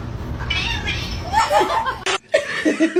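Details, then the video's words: Cat giving strained, wavering meows and caterwaul-like cries in short bursts, with people talking and laughing close by. "kitten meowing cute"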